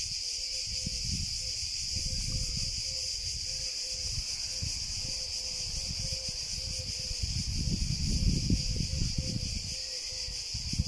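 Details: Cicada singing a continuous, even high buzz without pauses, while a series of short mid-pitched notes repeat roughly twice a second beneath it, over a low rumbling background noise.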